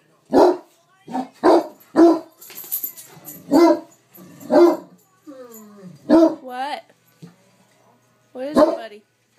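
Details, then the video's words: Great Dane, a pet, barking indoors while a film plays: short sharp barks repeated irregularly about every second, mixed with a man's soothing voice and some movie music underneath. "Great Dane mad at movie"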